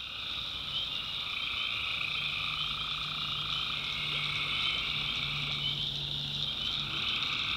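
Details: Massed tree frogs at night in a North Carolina swamp produce a continuous bright, buzzy trilling wall of sound, with a middle band fading in and out and a quiet low drone running underneath.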